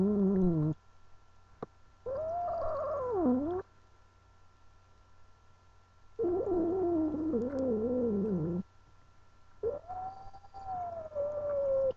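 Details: Angel, a female pet cat resisting being held, alternates harsh, wavering growl-yowls that dip and rise with a final long, smooth yowl gliding gently downward, quiet gaps between them.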